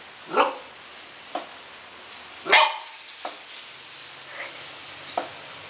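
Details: Four-month-old mixed-breed Akita Inu puppy that loves to play, giving two short, sharp barks about two seconds apart, with faint clicks and knocks between them in a quiet indoor setting.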